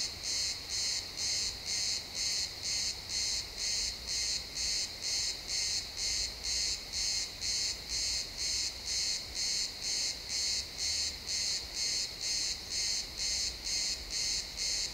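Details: Chirping crickets among pines at sunset make a very regular high-pitched pulsing trill, around two beats per second throughout, recorded in realtime XY stereo with quiet woodland background.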